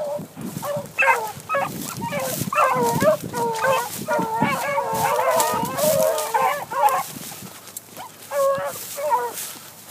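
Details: Young hunting dogs running a cottontail rabbit, giving repeated harmonic baying yelps and howls in overlapping bursts, several voices calling over one another almost continuously, with rustling in the background.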